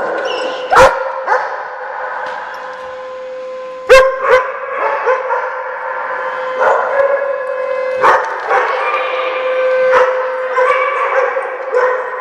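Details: Central Bark Doggy Day Care dogs, Oswego, Illinois, January 3, 2012, during siren testing: sustained multi-voiced howling with steady held pitches, interrupted by occasional sharp barks.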